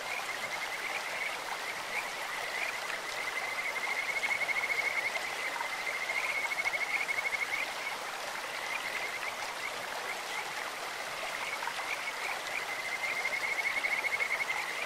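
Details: Kajika frogs calling in a clear stream: high, sweet trilled whistles in rapid pulsed runs, with a louder bout around the middle and another near the end, over a steady rush of flowing water.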